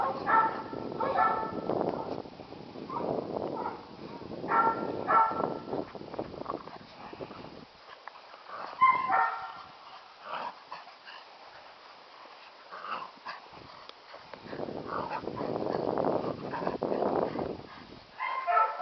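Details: Catahoula pups, nine and seven weeks old, romping around a farm: bursts of high, harmonic yips and small barks come in quick irregular clusters, with rustling movement noise between them.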